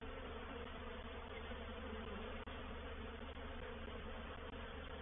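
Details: Swarming honey bees settling into a bait hive at Painted Peacock Manor, 04/07/21; a continuous low, droning hum of massed wingbeats, steady throughout with a couple of brief dips.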